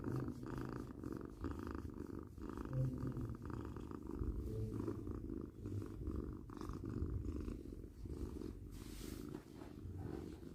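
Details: Steady deep purr from a domestic cat, heavy low rumble with regular pulsing swells tied to breathing, a few short hummed tones near the start, no other sounds.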